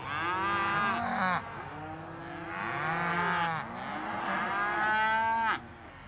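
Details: Several cows moo together, overlapping bellows that rise and fall, some ending in abrupt upward-sweeping cries, three main bursts across the stretch.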